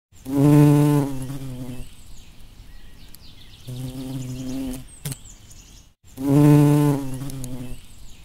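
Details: Bumblebee. A bumblebee gives a low, rich droning buzz in bursts of about a second and a half. Each burst swells loudly, then fades, and returns with a softer hum between passes.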